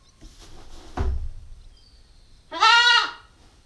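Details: Female Nubian goat kid, nine weeks old and growing, recorded by a GoPro stakeout camera: a soft thud and quiet rustling, then one short, loud, wavering bleat near the end.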